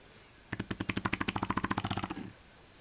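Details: Eva the Shar Pei gives one fast, rattling snore, a burst of about twenty quick pulses over nearly two seconds, in a still room.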